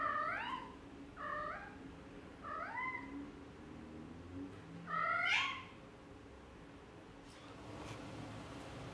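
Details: Four clear, rising-then-falling meows, evenly spaced over five seconds, from four-week-old Exotic Shorthair kittens during a soft car ride, the last loudest, over a low steady hum.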